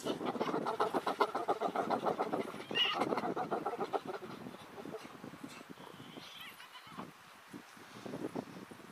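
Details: In the Masai Mara, several male spotted hyenas seeking to mate with a female, who rejects them, give rapid, pulsed, cackling calls.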